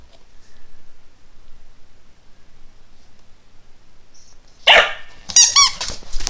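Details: Dachshund indoors, barking because he wants his squeaky bone. Several seconds of near quiet, then one sharp short bark, followed by a quick run of high, squeaky, toy-like sounds. A person says "Yeah" just after.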